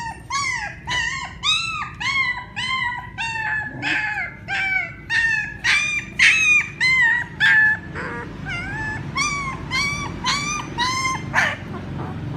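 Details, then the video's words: Puppies calling their mother with a steady stream of high, arched whining yelps, roughly two each second, some bending down in pitch, with a brief quieter break partway through and a low background hum. "Sounds Puppies call their mother ||Puppy crying sound"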